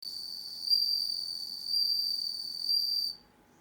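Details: Bell cricket raised in captivity, singing in darkness: a continuous high, pure ringing tone with bright overtones that swells roughly once per second, three swells, then breaks off abruptly near the end.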